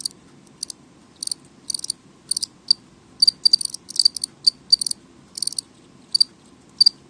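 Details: Loud house cricket calls indoors: short, piercing chirps given singly or in pairs and triplets, roughly several per second in busier stretches, over a soft low-pitched background hum.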